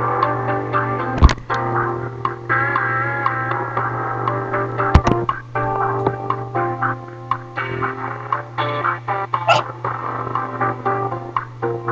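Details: Distorted guitar-driven music over a constant low electrical hum, with a few sharp clicks; no animal voice stands out.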